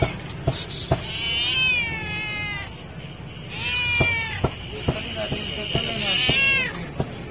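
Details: Homeless hungry cat meowing loudly for food: three long drawn-out harmonic meows, each rising then falling, spaced about two seconds apart, over constant clicking, tapping and background street noise.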